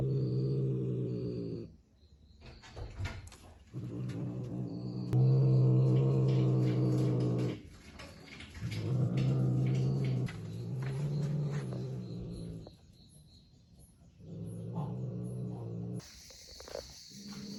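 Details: Repeated deep growls from a cat living with a family in a village, coming in sustained bouts of two to three seconds with brief silences between them, low and buzzy; occasional clicks, knocks and soft voices.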